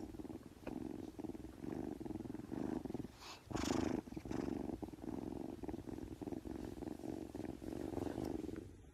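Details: Oriental Shorthair cat purring while feeling good: a steady, rumbling, rapidly pulsed purr running throughout, briefly pausing midway before resuming louder, with a few faint clicks and rustles.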